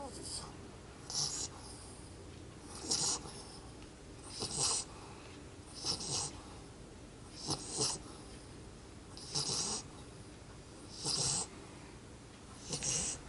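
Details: Little Bubba, a 10-week-old Labrador Retriever puppy, snores during his late morning nap: soft, breathy, hissing snores repeated roughly every one and a half to two seconds in a steady rhythm over faint background hum.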